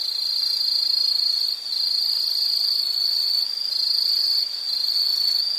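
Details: Shrill, sustained insect trill, loud and high, holding one pitch. It dips briefly in volume three times, at roughly two-second intervals, then resumes at full strength.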